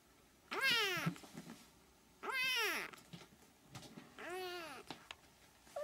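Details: Siamese kittens, three weeks old, give three long, arching mews roughly every two seconds, each climbing then sliding down in pitch, in a quiet indoor setting.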